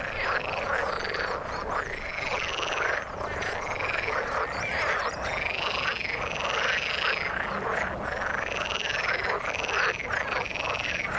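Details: Frogs calling in the water, a dense chorus of overlapping rising and falling pulsed croaks that repeat in waves about every second, filling the mid range with a steady rough texture and no other clear sounds.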